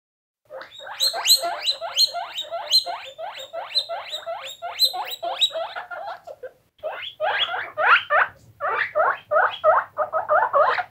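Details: Several guinea pigs squeaking: rapid, evenly spaced harmonic squeals, each rising then falling, delivered in a fast steady run for about six seconds, a short pause, then a looser, more uneven burst of squeaks.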